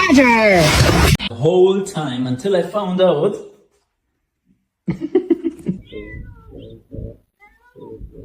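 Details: Domestic cat in a funny cat compilation, giving a loud, drawn-out wavering meow in the first second, followed by human voices talking and further short vocal sounds with pauses between.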